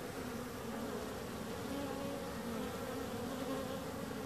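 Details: Continuous bee buzz, an even, dense drone of many wings without pause, faint higher hum lines weaving through it.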